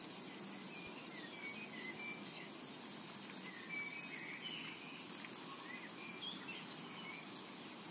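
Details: Cicadas in a tranquil summer meadow: a dense, unbroken high-pitched shrilling hiss runs steadily throughout, with scattered short chirps and whistles from several birds flickering above it.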